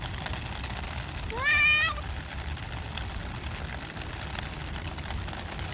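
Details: One of the cats in a rainy park lets out a single short meow, rising then level, against constant rain hiss and low rumble.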